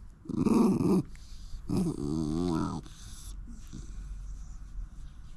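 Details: Shiba Inu living in a backyard, refusing to eat its food on a winter day; two drawn-out, rough, voiced grumbling growls about a second each, the second wavering in pitch, followed by quieter rustling.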